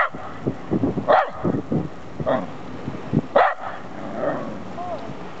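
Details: Terrier named Max out in Ulm barks three times at roughly one-second intervals, short loud yaps over murmuring voices and street background.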